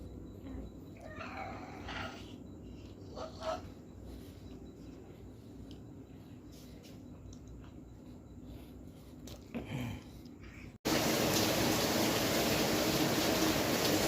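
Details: Village cat giving a few short, harmonic meows in the first four seconds over quiet room noise, with faint clicks and a soft later meow, before a loud burst of broadband noise takes over.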